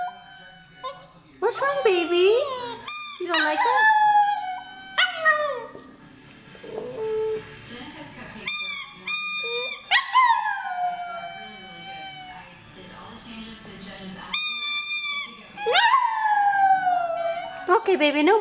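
A Maltese puppy howls in high, wavering bursts, mimicking the squeak of her toy.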